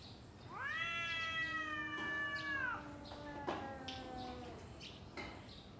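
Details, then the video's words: Domestic cat squaring up to another before fighting, one long steady yowl sliding downward at the end, then a quieter second moan, with a sharp knock and small scuffing sounds. "Kucing Ngobrol Sebelum Tarung | Cat Fight | Suara Kucing"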